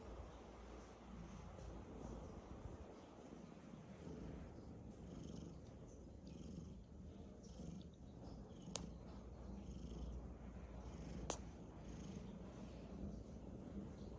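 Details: Female pet cat indoors in a bedroom, lying still and unnoticed, purring as a steady low rumble throughout, with two sharp faint clicks and quiet room hiss.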